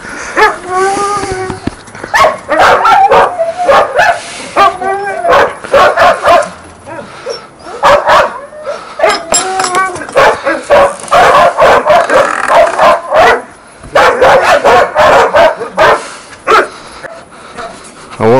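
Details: Young hunting laikas bark before a badger hunt at burrows in Novosibirsk region, Siberia, on 13 September 2024. One is a young male that has hunted once, another has never hunted. Loud, repeated, excited barks mix with men talking and sharp clatter.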